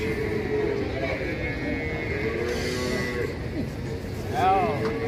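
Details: ['Agitated cattle resisting loading onto a truck. Sustained, buzzing low moos hold a level tone. A brief rising, wavering cry comes near the end over steady mechanical rumble.']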